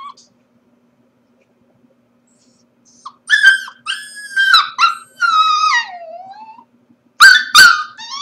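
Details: Corgi pup alone at home during the workday, first silent, then bursting into loud, wavering whines that bend down and trail off, followed by two sharp high yips near the end. A low electrical hum persists throughout.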